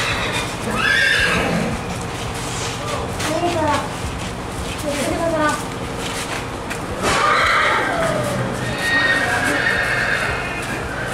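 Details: Five horses with fine coats in Lima Puluh Kota district, on the way to Java and South Sumatra: shrill whinnies that fall in pitch at about one and seven seconds, under steady chatter from people and background noise.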